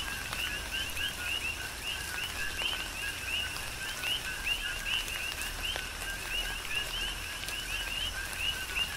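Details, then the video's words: Rhythmic chorus of coquis recorded in tropical rain on the Big Island of Hawaii. Dense repeated two-tone calls, a low note then a rising high whistle, overlap constantly above a bed of falling rain and drips. "Tropical Rain & Coqui"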